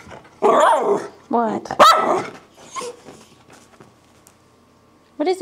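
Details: Miniature Schnauzers greeting a returning owner with joy: a few loud yelping barks and a whine, with a person's voice speaking to them.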